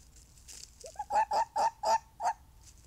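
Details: A fox gives a short series of five sharp, strained barks, with a rising squeak before them. The barks come at a steady quick pace with a brief pause before the last one, over near silence.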